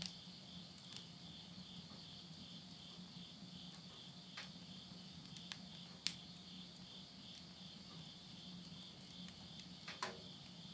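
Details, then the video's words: Late-summer insect voices at midnight in rural Yurihama, Tottori, Japan, September 2020: a continuous shrill pulsed trill dominates, broken by scattered pops and snaps of burning wood in a stove, over a low steady hum. "the voice of insects"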